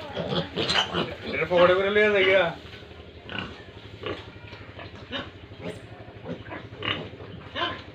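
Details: Pigs at a farm in Tripura, India: a loud wavering squeal lasting about a second, followed by a run of rapid short grunts roughly three a second, over constant pen noise.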